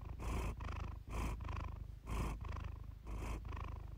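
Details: Calm house cat purring steadily: a deep, vibrating drone swelling and easing in regular breaths roughly every half second to second, close and clear with a quiet background.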